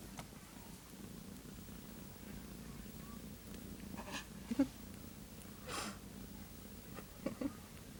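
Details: One-day-old kittens nursing, one named Callie feeding while being trampled by littermates; a steady low rumbling purr runs throughout, with a few soft squeaks and rustles near the end.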